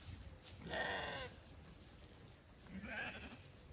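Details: Happy Zwartbles sheep being let out onto fresh pasture on a County Kilkenny farm in Ireland; two softer, quavering bleats a couple of seconds apart against steady low rumbling outdoor noise.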